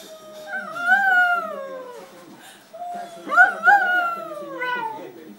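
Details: Pet dog "talking" while begging for food during the family meal, producing two long, sliding, howl-like whines that rise then fall, the second louder and more broken, with faint household noise.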